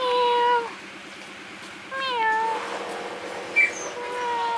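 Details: Kittens resting and sleeping beneath a wooden hole give two clear, drawn-out meows that fall slightly in pitch. Each is about half a second long. A short, high chirp follows, then a softer, sustained meow near the end.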